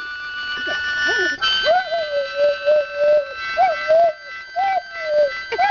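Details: Half-mastiff, half-rottweiler pet dog singing along to harmonica: long, wavering mid-pitched howls held about a second each, repeated several times over steady harmonica chords.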